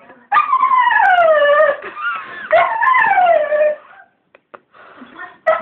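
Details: English springer spaniel howling, or singing, at a bird in the garden: two long wavering howls, each about one and a half seconds, sliding downward in pitch, followed by a few faint short yips.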